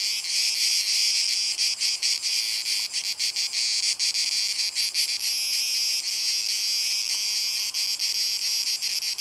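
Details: Cicada orni singing: a loud, continuous, high-pitched rasping buzz broken by rapid rhythmic pulses and brief dips, steady for the whole nine seconds, with no other clear sounds.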